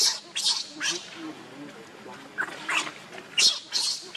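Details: Hungry baby monkey crying and begging its mother for milk: shrill, harsh screeching bursts of under half a second, repeated in uneven clusters with short quiet gaps between them.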